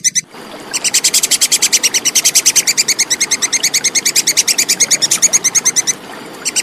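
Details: Clear plantain squirrel call, offered as tutor material for competition songbirds: after a brief opening note, a steady run of quick, sharp, high 'kek' chips lasting about five seconds, then a pause before the chips resume.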